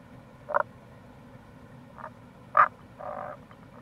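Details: In April near a gorge on the Kamo River, Itoshima, Fukuoka Prefecture, Japan, a wild Tago's brown frog gives two loud short croaks plus a fainter one, then a drawn-out purring note, against a steady water hiss.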